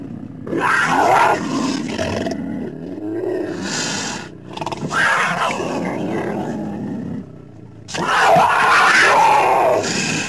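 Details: Lion recorded in July 2016: rough, broadband roaring bursts lasting one to two seconds each, separated by brief pauses, with a grating, growly texture throughout and no other clear sounds.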